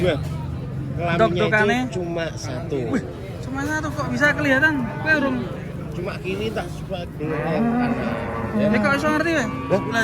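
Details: Several cattle unloaded from the first truck at a crowded, busy site, giving repeated deep moos that rise and fall, overlapping one another, with people talking throughout.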